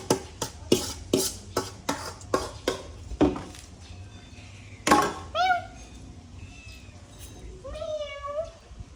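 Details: Black cat eating food: a run of sharp, regular ticking taps from the meal, then two or three short, bent, rising-and-falling meows near the end, with a quieter faint call between them.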